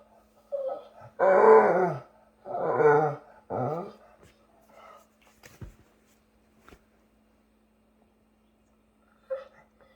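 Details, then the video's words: A pet dog whose voice is likened to Chewbacca gives three drawn-out, throaty moaning groans in quick succession. Quiet follows, broken by a few soft clicks and one brief higher squeak near the end. "My Dog Buster Sounds Like Chewbacca"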